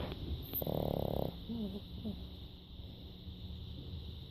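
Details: Emma, a female pug, snoring during her nap: one rough, rattling breath of under a second, followed by a few faint, thin squeaky tones and quiet room hiss.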